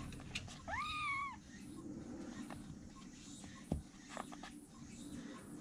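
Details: Rescued baby kittens, three of them, huddling together for warmth in a room corner; one clear high kitten mew rising then falling, about half a second long, over low room hum and faint rustling.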